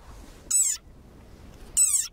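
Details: A desert rain frog (Breviceps macrops) gives two short, high, harmonic squeaks about a second apart, like a dog toy: the angry war cry of a very angry frog.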